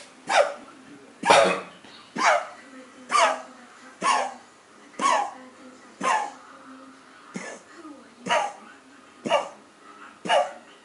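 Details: A Cocker Spaniel puppy coughs in short, harsh bursts, about one each second.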